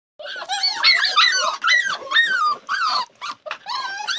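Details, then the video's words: Labrador Retriever puppies whine and squeal in overlapping high, arching cries that rise and fall, with a new burst roughly every half second and short gaps between them. "Labrador puppies"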